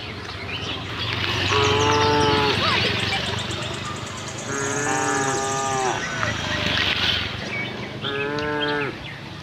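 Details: Friendly farm cows wandering in search of green grass give three drawn-out, resonant moos spaced a few seconds apart, over steady outdoor noise and scattered high chirping birds.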